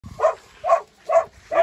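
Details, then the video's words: Pit bull barking while meeting another pit bull, a female named Gina; four short, harsh barks about every half second, each rising abruptly and cutting off, with quiet pauses between them. "Pitbull vs Pitbull. Питбуль Шаман в шоке!"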